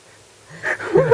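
A Shih Tzu snores, giving one rough, wheezy breath that swells up out of near silence.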